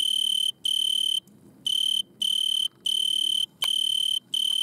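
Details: Stridulating Italian tree cricket singing at night from a butterfly bush under red light: clear, high, even trilled bursts of roughly half a second broken by short pauses, with one faint click between bursts.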